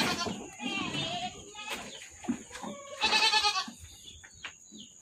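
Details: Goats bleating at a goat farm: a harsh, wavering bleat at the start and a louder quavering one near the end, with softer calls, shuffling and faint voices between.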